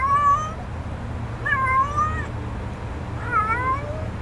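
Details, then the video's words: Little stray kitten in a back yard, offered food, calling three clear meows about every one and a half seconds, each a bright wavering tone that bends up and down, with a low hum underneath. "Stray Kitten"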